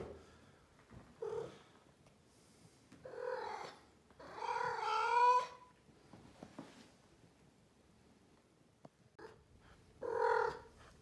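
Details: Suki, a female blue Maine Coon with a grumpy face, talks in drawn-out harmonic meows and chirrups, five vocal bursts spread over eleven seconds, the longest a wavering mew near the middle, in a quiet indoor room.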